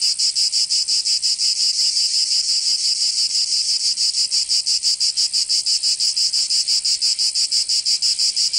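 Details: Summer chorus of cicadas in Provence, southern France, a dense shrill buzz pulsing rapidly and evenly, close to three beats per second, continuing unbroken throughout without other animals or voices.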